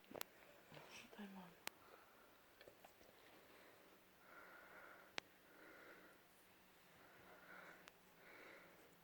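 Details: A sleeping German Shepherd Dog puppy snoring indoors: soft, breathy, wheezing snores in regular pulses about every second and a half, with a few sharp clicks and light rustling in a quiet room.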